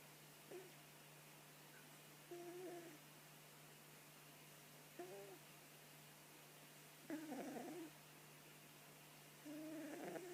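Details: A sleeping cat snoring: soft, whistled nasal tones, each breath a short steady note with a faint overtone, coming about every two to three seconds in five breaths over a quiet room hum.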